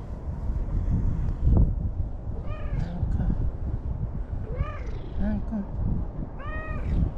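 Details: A free-roaming orange-and-white stray cat, acting affectionate at dusk by a lakeside in Japan, gives three clear, arching meows about two seconds apart over a low background rumble.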